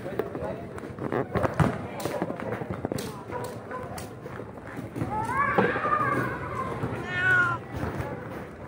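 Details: Stray cats whose home of five years was demolished: two drawn-out, harmonic meows, the first rising then falling, the second shorter and bending downward, heard over steady human speech and background rustling.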